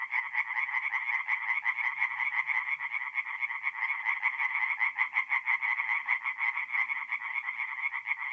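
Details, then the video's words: Tree frogs calling by night at a forest pond in north-east Italy, mid-April; a loud, close chorus of fast pulsed croaks, throbbing roughly three per second, overlapping voices filling the whole stretch. "relaxing forest pond by night with singing tree frogs"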